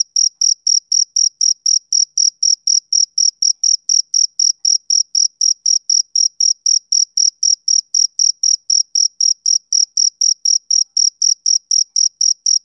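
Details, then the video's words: A male cricket chirps without pause, roughly fifty short, shrill pulses at a brisk, regular four-per-second pace, clean with no background noise. "Cricket Chirping Sound Effect"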